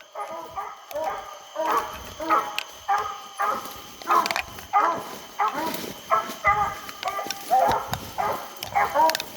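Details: English coonhounds baying while coon hunting on a hot summer night; repeated harmonic bawls and chops, roughly one to two per second, several dogs overlapping, with a man's voice calling among them.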